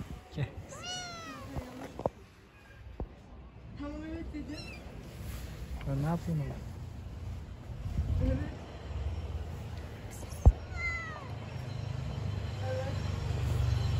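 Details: Pregnant stray cat living on the street gives several short, bending meows, rising then falling, scattered among a man calling to it in Turkish, with clicks and street background noise.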